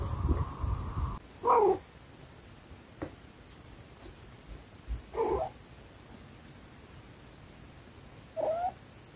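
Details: Blue-eyed British kittens chasing and batting a ball toy during play: three short, tonal meows spaced a few seconds apart, the last slightly rising, over steady room noise and soft thumps from play.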